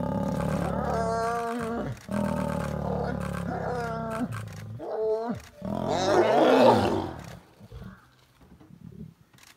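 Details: Lions during mating in Gir Forest, Gujarat, India: loud, deep rasping roars in repeated surges, followed by a harsher snarling growl that fades into quiet breathing and low rumbles.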